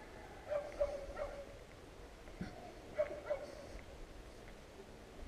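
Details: Street dogs barking at people walking by on a street, recorded on a GoPro Hero: two short clusters of clipped, mid-pitched barks about two seconds apart, with steady low background noise and a brief thump between them.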